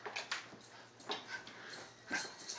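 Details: Wire Fox Terrier giving faint, short high whimpers and yips in scattered bursts, a few thin squeaky notes standing out against low background hum.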